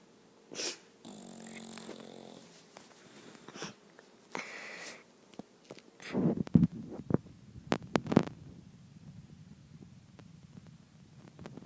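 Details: Boss, a bulldog, snoring in the morning with rasping, wheezy breaths at first, then snuffling, shifting and clicking sounds as the dog stirs indoors.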